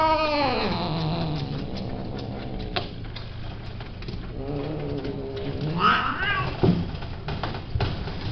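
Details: Male cat kept for breeding at a cat cattery and boarding centre, wailing in long, drawn-out caterwauls that slide down in pitch, with a rising yowl near the end and a low steady hum underneath.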